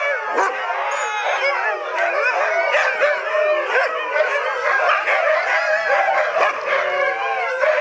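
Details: Fourteen Siberian huskies howling along with the town church bells at seven o'clock, as they do every day: a loud, dense chorus of overlapping wavering howls, mixed with yips and whines, continuing without pause.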